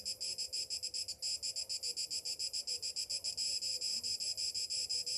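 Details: Summer morning cicada song, a piercing high buzz broken into quick regular pulses, roughly five a second, holding steady in strength throughout.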